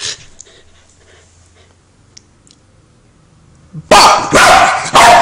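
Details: Female Welsh Corgi barking at a lighter she hates: after a quiet stretch, three loud, harsh barks in quick succession close out the recording indoors.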